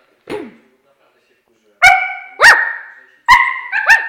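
A Siberian husky gives short, tuneful yowling howls that slide and bend in pitch.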